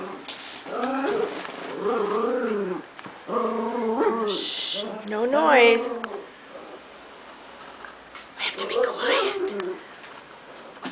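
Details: Pet Chihuahua indoors, sassing and talking back while being told to be quiet: a series of drawn-out whiny, wavering grumbles and moans in several bursts, pitch bending up and down, with a person's voice in a small room.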